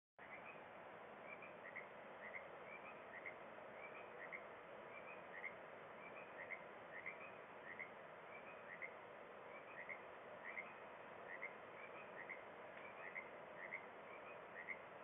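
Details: Frogs give short, bright chirping calls, repeated and overlapping in a steady chorus over a constant rushing background, at sunset at Kalaloch.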